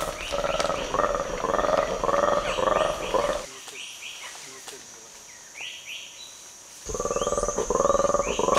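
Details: Black-and-white colobus alarm call given when an eagle is spotted: a long call of rapid, croaking pulses warning others, played back in the forests of Uganda to feeding chimpanzees, which ignore it.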